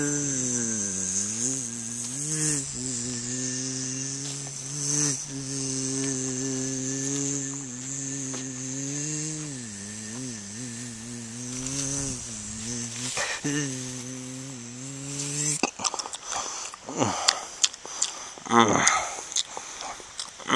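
A bumblebee's low, droning flight buzz wavers up and down in pitch, then gives way to scratchy crackles.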